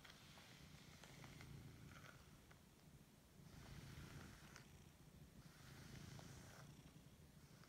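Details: Siberian cat purring while waking up and enjoying being stroked indoors; steady low rumbling purr swelling in waves about every two to three seconds, with faint rustling and small clicks of handling.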